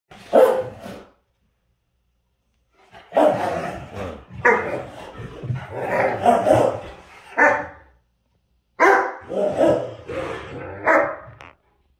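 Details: Great Dane playing with a smaller dog that stands its ground: a short bark burst, then about five seconds of rough, overlapping barks and growly yaps, a pause, and another run of harsh barks.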